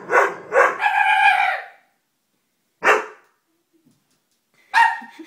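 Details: Doberman dog letting out two quick barks that run into a rising, tonal howl-like whine, then two separate sharp barks spaced about two seconds apart.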